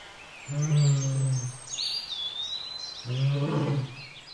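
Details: Mating pair of wild lions (Panthera leo) at Lake Nakuru in Kenya: two loud, deep, rough growls about a second each, separated by a pause, while birds whistle and chirp in the background.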